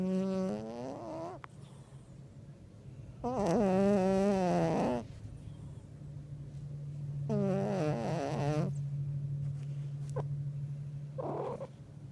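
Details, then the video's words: Buster Bluth, a very fat black pet cat, snoring: loud, buzzy, voiced breaths lasting one to two seconds, coming roughly every four seconds, over a steady low indoor hum. "Stupid Black Cat Snoring"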